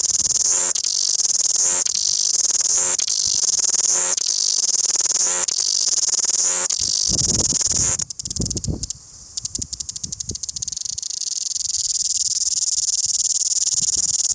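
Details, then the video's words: Cicada in Wellington singing loudly, a piercing high-pitched drone pulsing in phrases about a second long for the first half, then breaking into scratchy, uneven crackles as the buzz fades and low thuds intrude. "Loud cicada Singing Wellington"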